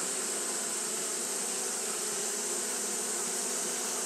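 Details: Brief stretch of Japanese honey bees fanning in hot weather: an even, whirring hum with a slight flutter and a constant high hiss, no pauses.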